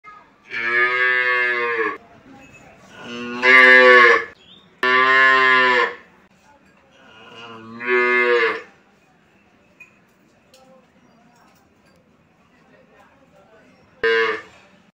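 A cow calf gives a series of drawn-out, nasal moos, each about a second long.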